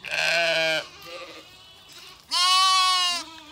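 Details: Zwartbles ewes and lambs on a regenerative farm in County Kilkenny, Ireland, bleating in confusion after two flocks were joined. A lower, steady bleat is followed after a pause by a higher, strained, quavering bleat.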